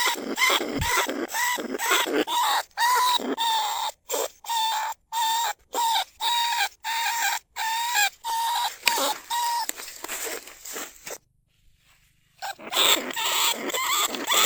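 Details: Lesser bandicoot rat calling to other rats from inside a trap cage in rice fields at Na Lao, Nong Khu Phai, recorded live. Harmonic squeals near one pitch come in short bursts about twice a second, with a brief silent gap near the end.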